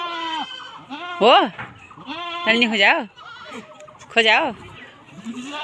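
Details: Boer goats on a farm in Nepal bleating repeatedly, quavering wavering cries every second or so, some sharply rising and falling, with people talking in the background.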